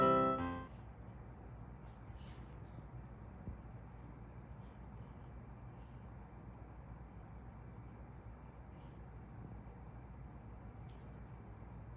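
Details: A brief piano phrase fades out in the first second, leaving quiet indoor hiss with a couple of faint knocks.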